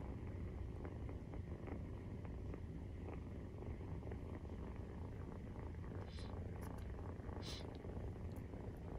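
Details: Maine Coon cats at nursing, kittens 43 days old, purring in a constant low rumble. Brief faint high squeaks and hisses show up near the end.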